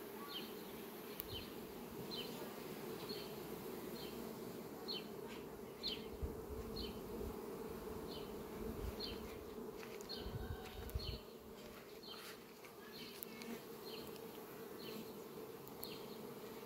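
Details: Western honey bees fly around sunflowers on a farm on 18 July 2021, buzzing steadily as a low continuous hum with bright ticks above it.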